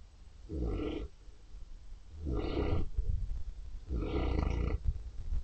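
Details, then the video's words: Neapolitan Mastiff asleep, snoring in three long, deep, rattling breaths about one and a half seconds apart, each a low grinding rumble with a nasal edge, quiet pauses between. "snoring neapolitan mastiff"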